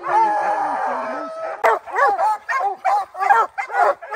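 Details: Rocky, a bear-hunting dog, on opening day of the black bear training season in July 2024: a drawn-out, wavering howl-like bay for about a second and a half, then a run of sharp, loud barks in quick succession.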